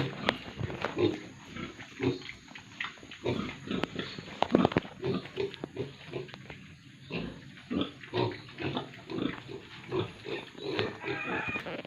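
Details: Pigs and piglets on a pig farm in Tripura grunt and snort in a steady stream of short, rough, low bursts.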